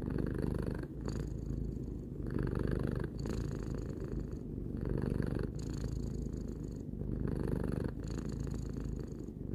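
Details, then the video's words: Tarou, a three-year-old pet cat, purring steadily in a low rumbling drone, with breath cycles swelling and easing roughly every two seconds as the purr alternates between inhale and exhale. "Cat purring"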